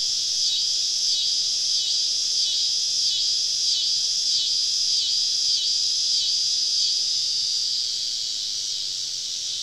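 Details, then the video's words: Many cicadas singing together on a southern summer evening, deep in the woods while camping: a high, rasping drone beating in regular pulses about three to four per second, easing slightly in the last seconds. "Southern Evening Summer Cicada Symphony"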